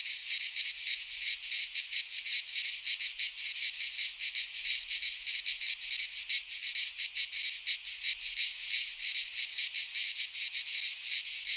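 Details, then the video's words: Greek cicadas in a pine forest during midsummer, their shrill electric buzzing pulsing in fast, slightly irregular beats, a continuous wall of insect noise. "Cicadas singing in midsummer - Nature sounds from the Greek fauna - Sounds of cicadas"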